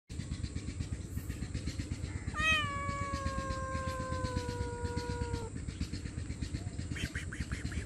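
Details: Hungry homeless stray cat asking loudly for food and shelter: one long drawn-out meow of about three seconds, slowly falling in pitch, over a steady low rumble and constant high hiss.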